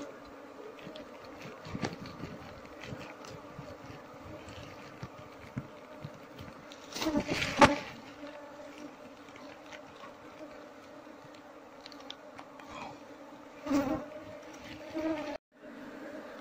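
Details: Wild Apis cerana honey bees at their hive during a honey harvest, a steady droning buzz with a low hum and a clear higher overtone throughout, broken by handling knocks and rustles around the seventh second and again near the fourteenth.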